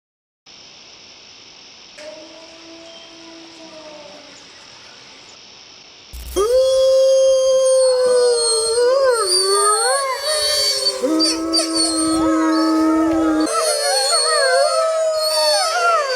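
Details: Mackenzie Valley wolf, a large subspecies of the grey wolf from northwestern North America. A steady hiss and faint soft howls lead into a loud pack chorus of many overlapping howls that rise, fall and waver.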